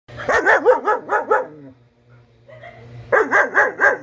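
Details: A four-month-old German Shepherd puppy with a double coat barks in two rapid bursts of about six sharp, hoarse barks each, separated by a short pause, with a low hum in the background.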